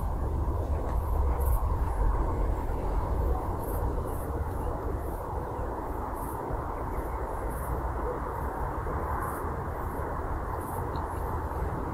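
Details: Steady low rumble like a passing train or vehicle in a Masovian forest, with faint regular high ticks; no animal voice stands out.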